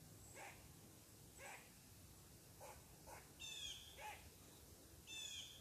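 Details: Upset squirrel barking at a person sitting on its tree: short harsh noisy barks spaced about a second apart, with high whistled bird notes breaking in near the end.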